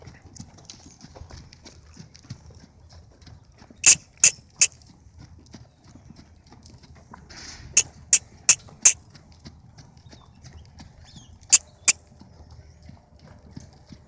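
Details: Blood bay half Friesian filly being walked by a handler, sharp clip-clop hoofbeats in short bursts of three to four strikes separated by pauses, a woman softly urging her on and calling ho.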